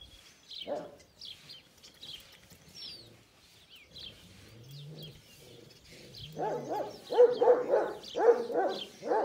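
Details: Kangal dogs at a breeding farm of quality breeding stock: one bark early on, then a run of deep, rough barks near the end, about two per second, over steady chirping of small birds.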